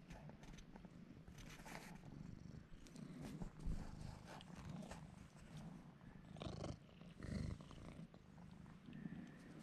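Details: Bruce the cat, a male pet, rubbing on a man's legs while purring: a soft, even low rumble throughout, with brief brighter bursts of handling or rustling noise near the middle.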